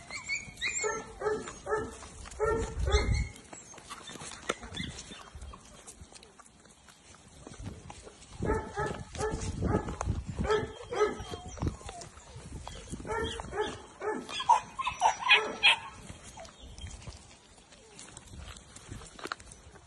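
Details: Nearly two-month-old English Springer Spaniel puppies playing together. Rapid bursts of high, ringing yips come in three clustered volleys, with scuffling between them.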